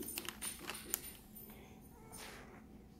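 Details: Quiet indoor tapping and clicking, like keys or small objects being handled in a small room, with a faint background hum and no animal voice.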